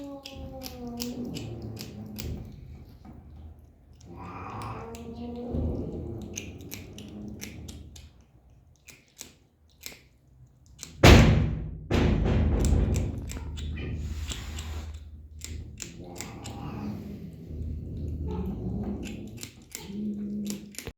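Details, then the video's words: Kitten enjoying its food and making a pleasant sound while eating: sharp repeated chewing clicks and crunches, short murmuring tonal vocal bursts in between, and one loud burst of noise midway. "The kitten is enjoying eating and makes a pleasant sound."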